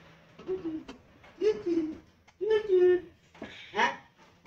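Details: A lively, playful pet cat meows during a game with its owner indoors: four short, tonal meows about a second apart, the first three falling in pitch, the last brighter and rising, with faint background music.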